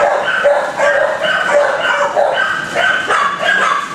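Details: Kennel dogs barking, a noisy distraction during another dog's assessment; short, bright yaps come in quick overlapping bursts about every half second, with a steady din underneath.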